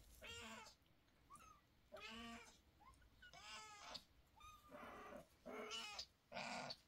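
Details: A grumpy mother cat scolds her kittens with a run of about six meows, some long and some clipped. Soft, brief chirps fall between the louder cries.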